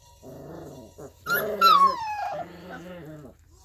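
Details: Alaskan Malamute puppies aged 3.5 weeks at play; a rough growl opens, then a loud high yelping whine slides downward, followed by another throaty growl, all close and clear.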